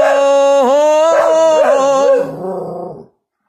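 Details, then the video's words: Dog howling in time with its owner's singing at home. A loud, wavering howl dips, rises and bends through several pitch swoops for about two seconds, then trails off softly. "Adorable Dog Sings along With His Human"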